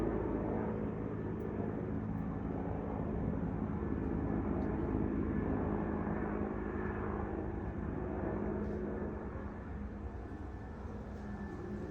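A steady low engine rumble, like a passing aircraft or vehicle, fills the recording with no animal calls heard.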